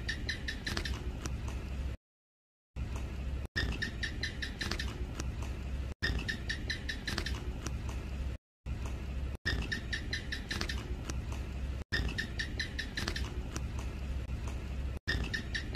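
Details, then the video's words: House gecko calling at length with bursts of short, sharp clicking chirps in rapid runs, the runs recurring across the recording over a steady low background hum. "เสียงร้องจิ้งจก ร้องยาวๆ"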